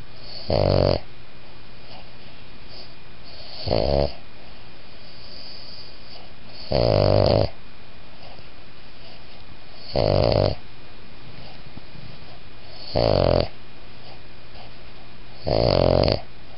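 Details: Boston Terrier and Pug designer mix in steady sleep, whisper snoring: six raspy, buzzing snore breaths repeating roughly every three seconds, each under a second long, over faint background hiss.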